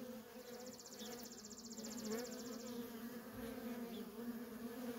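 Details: Worker honey bees in constant traffic at a feral colony, a steady low buzzing hum with a fainter overtone above it. A brief, rapidly pulsed high ticking runs through the first half.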